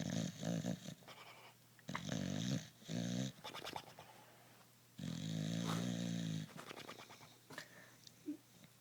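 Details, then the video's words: Sleeping bulldog snoring: rough, buzzy, low breaths in bursts about a second long with quieter gaps between. One longer, steady snore comes around the middle, and small rattling sounds fall between breaths. "snoring bulldog"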